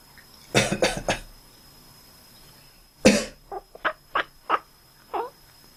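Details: Sleeping domestic cat making quack-like noises in response to a person's coughing: a burst of three harsh coughs, another cough, then a run of five or six short, clipped, duck-like chirps spaced about half a second apart, indoors.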